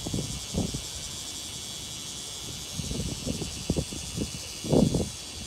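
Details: Bear cicadas at Tsukudabori, Japan, on 17 August 2018 at 9:58 am, fill the air with a steady, shrill, pulsing buzz over low thumps and rustling; the call reportedly differs from Kansai bear cicadas.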